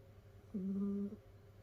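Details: A sleeping domestic cat snoring in a multi-cat household of rescued cats curled up together indoors: one steady, whistly, nasal tone about half a second long with faint overtones, over a constant low room hum.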